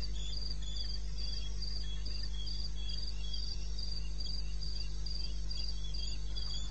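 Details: Night chorus of crickets in eastern Botswana wilderness, recorded 2:30 AM in May; evenly spaced shrill chirps repeating several times a second above a constant low-pitched drone.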